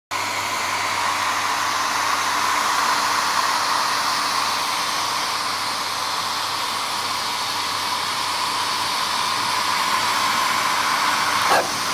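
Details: A steady whooshing roar of a hair dryer runs throughout, with no animal sounds. A faint click near the end is the only other sound.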